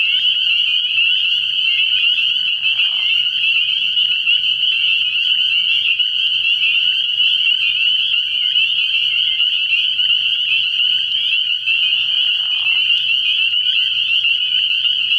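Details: Spring peepers calling at night from a frog pond early in the year; a dense chorus of high, piercing peeps fuses into a steady shrill band, with a brief lower murmur around three seconds and again near twelve.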